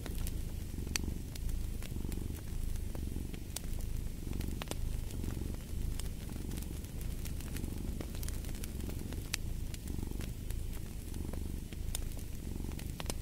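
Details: Steady cat purring with regular inhale-exhale swells of low rumbling, accompanied by a crackling wood fire in a fireplace producing sharp intermittent pops.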